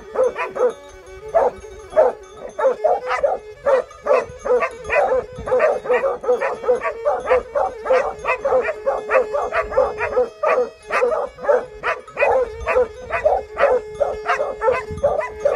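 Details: Barking from Plott Hound and Serbian Tricolor Hound dogs, Greece, 20/03/2020. A long, continuous run of sharp, quick barks comes at an uneven pace. A constant droning tone sits beneath the barking.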